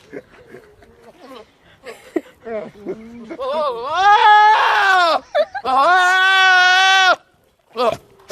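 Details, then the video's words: Goat giving weird, drawn-out bleats: soft short calls and voices at first, then two long, loud, strained harmonic cries, the second held steady for over a second, ending abruptly before a short final bleat. "Goat starts making weird noises whilst filming!"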